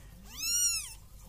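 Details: Domestic cat giving a single clear meow, about half a second long, arching up then sliding down in pitch, over a faint low hum.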